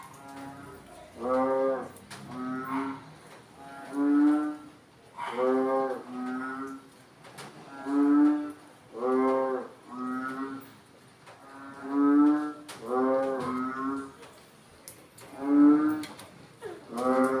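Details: Frogs calling after rain, one answering another in loud, hoarse, nasal croaks, each a pulsed burst about a second long repeated every two seconds, sometimes overlapping.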